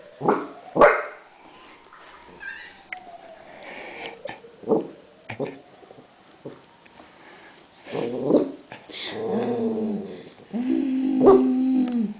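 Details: Great Dane puppy named Bagheera, seven weeks old, on her first day in a new home; a thin whine slides downward, scattered knocks and clicks follow, then short harmonic yelps and low whimpering growls toward the end.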